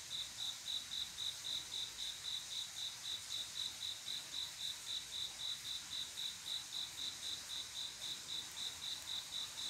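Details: Cricket love song on a still summer night, a male calling a female to mate: a steady run of bright, high-pitched chirps, close to four per second, keeping an even pace throughout against a faint background hiss.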